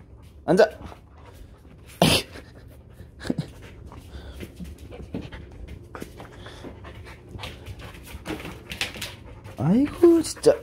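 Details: Border Collie, a sheepdog that cannot keep still for a moment and is like this all day: short rising whimpers near the start and end, steady panting between, with soft human speech and scattered thumps.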